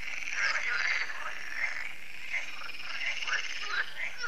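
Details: Annual evening frog chorus at a lake in France, heard as solar lights switch on; crowded, continuous croaking with short chirpy accents scattered over a steady raspy background.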